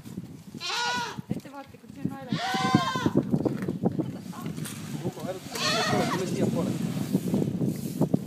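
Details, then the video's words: Goats at Tallinn Zoo in Estonia, screaming: three strained, quavering bleats spread over eight seconds, with people's voices and murmuring heard throughout beneath the calls. "Kitsed kisavad / Goats screaming"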